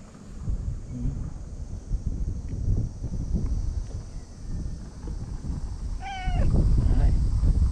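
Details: Stray white cat living among seaside tetrapods in Japan, joining other cats at a park gathering before dinner, utters one short, clear meow near the end, preceded by quiet outdoor rumble and faint soft sounds, with wind noise swelling afterwards.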